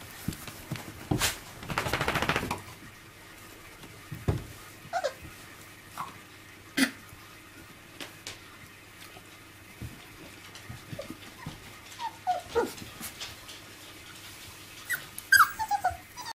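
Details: Five-week-old miniature labradoodle puppies playing with their mother indoors: a harsh noisy burst early on, scattered soft knocks and scuffles, then short high falling whimpers and yelps clustered near the end of the clip.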